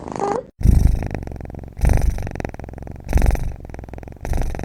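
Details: Kitten snoring indoors, rough low rumbling bursts coming in regular waves roughly every second and a quarter, separated by softer breaths; a brief spoken word in Mandarin opens the recording.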